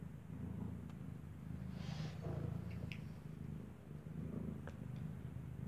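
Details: Mother cat with newborn kittens whose eyes have not yet opened, a kitten suckling; steady low rumbling purr fills the recording, with a few faint soft rustles and clicks above it.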